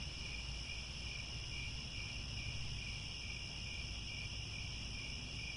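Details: Crickets at Angkor Wat, Cambodia, chirp at sunset in grassland: a thick, even high-pitched chorus of fast trilling layers with no pauses, accompanied by steady low-frequency rumble.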